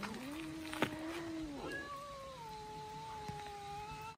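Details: A Russian Blue cat, one of an abandoned mother-and-kittens group being rescued, gives long, drawn-out meows, a low steady one followed by a higher, slowly falling one.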